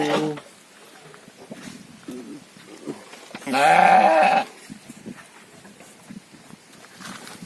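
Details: Farmed fattening sheep, domba or kibas: one loud, strained, buzzy bleat of about a second stands out over low background murmur, with a short call at the start.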